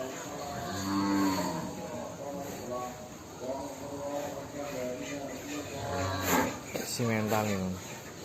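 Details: Large fattened cattle of over one ton at a big pen in Indonesia: drawn-out low moos repeated several times, each a steady droning bellow, against constant background hiss and some clatter.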